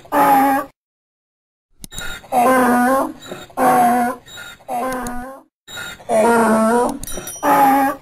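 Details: Donkey braying: loud, harsh harmonic hee-haw bursts under a second long, alternating with shorter, softer gasps, preceded by a second of silence near the start.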